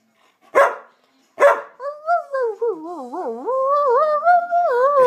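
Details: Chewy, a Samoyed demanding treats, gives two sharp barks, then a long wavering, yodel-like whine that rises and falls in pitch without a break.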